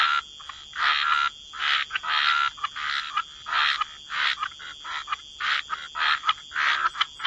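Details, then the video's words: Wetland frog chorus at the waterside, raspy croaks coming in quick, irregular bursts, some longer and some clipped short, over a thin, constant high whine in the background. "Relax to the Sound of Croaking Frogs"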